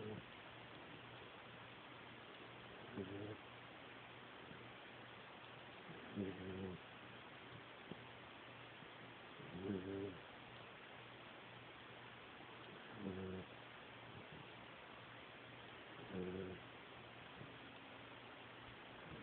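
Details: A 10-week-old Great Dane puppy snores in low, rattling bursts about every three seconds over a steady hiss.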